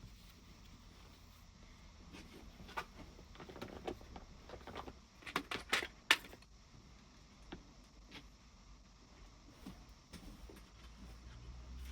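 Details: Keys and small metal items jangle and clink indoors, with scattered taps and faint low background rumble, and no animal voice.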